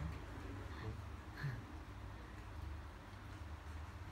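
Low rumbling background noise with faint indistinct voices; no clear animal calls stand out.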